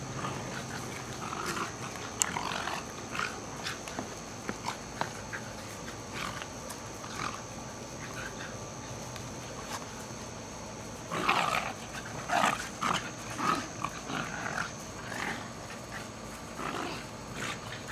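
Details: Two young Jack Russell Terriers, Jasper (14 months) and Jaclyn (15 months), play fighting energetically in Lenexa, Kansas, on 7/6/08 after a long walk: scattered short raspy snarls and growls, densest in the later seconds, over a steady faint background hum.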